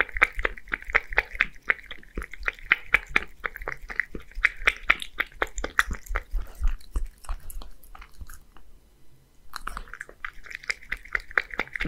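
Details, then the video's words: Beard, a male Scottish Fold aged one, living in Japan, slurping creamy seafood soup; dense close-up lapping and smacking clicks, a brief quiet gap about two-thirds through, then eager licking again. "[Cat ASMR] Creamy soup with a pleasant sound 🍸 [eating sound]"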